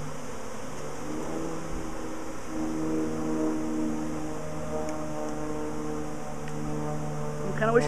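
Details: Swarming honey bees, a week after an earlier swarm, queen thought to be at the very top: a steady, dense low hum with droning tonal layers throughout, even in loudness, with a brief faint higher sound at the very end.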